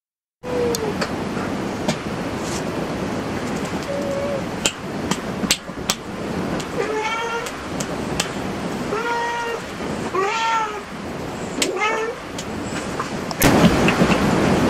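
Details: Cat at a cat cafe giving a run of about five short, arched, tonal meows in the second half, each rising then falling, over a steady rushing background hiss with scattered clicks and knocks.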